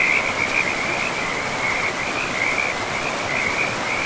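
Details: Dense frog chorus beside a river in a pristine forest, a continuous high trilling band with slight pulsing, heard over a constant broad rush of flowing water.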